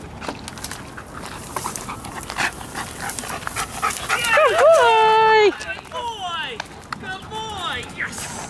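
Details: Sirius, a dog under evaluation as a wildlife detection dog candidate, lets out a long, wavering, high-pitched whine, then a run of shorter rising and falling whimpers, over light clicks, thumps and faint background noise.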